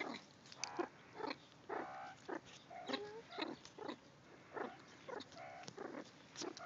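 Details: Rescued meerkats at a rehabilitation centre, caged and fed through the bars by hand before release in the Karoo; short squeaky chirps and crunchy chewing bursts come roughly every half second, with a few brief tonal squeals.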